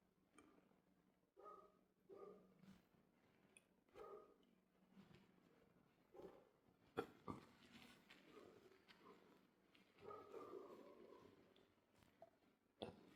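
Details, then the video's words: Dog making noise: short, tonal yelps and whining barks come in irregular bursts every second or two, with a longer drawn-out whine near the end, over a quiet, slightly noisy background. "If you like dogs making noise"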